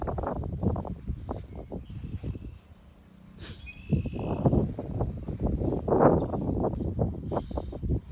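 A French Bulldog sniffs in quick, uneven bursts of breathy, snuffling noise, with a brief pause midway.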